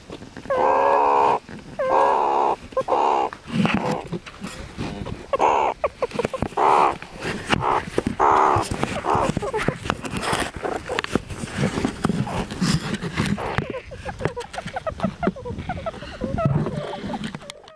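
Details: Meerkat (Suricata suricatta) gives short, tonal squeaks about once a second, then rougher chatter; a subordinate meerkat makes submissive grovelling noises after bringing a pup above ground early, before the dominant female takes charge.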